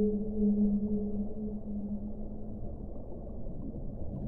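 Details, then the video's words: One low, even whale moan lasts about two seconds, with a fainter higher overtone, then fades into continuous rushing noise. "1 ora di suono delle balene"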